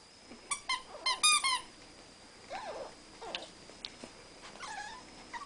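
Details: Rat Terriers play fighting indoors at home: a burst of high, rapid squeaky yelps early on, then scattered thinner squeals and whines with gaps of quiet between them.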